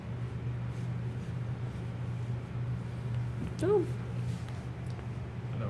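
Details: Close-up of kittens at Alley To Attic, filmed indoors during a live stream: a single short, downward-bending meow rises out of a steady low electrical hum, with no other calls nearby.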